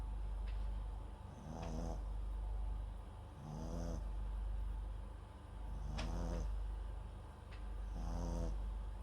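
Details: MAX, a Papillon and Japanese Chin cross, snoring in his sleep near a bedside microphone: rhythmic throaty rattles about every two to two and a half seconds, with soft high-pitched wheezes and a few small clicks between breaths.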